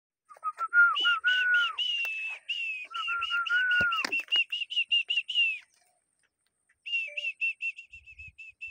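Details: Draft horses in the Ternopil region, a stallion brought for mating and a mare brought from Bachach, recorded 22 October 2024: a high whinny of rapid pulsed notes, some gliding downward, falling silent, then another quieter pulsed burst.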